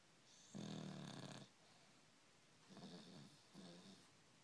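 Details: Dog snoring indoors: a long raspy snore of almost a second, then two shorter snores with quiet breathing pauses between them.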